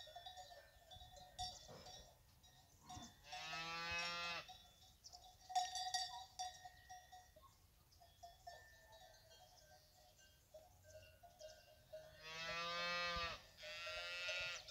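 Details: Cows of the fighting bull breed with their calves: two drawn-out lowing moos about eight seconds apart, with frequent clanking cowbells in between and quiet background noise.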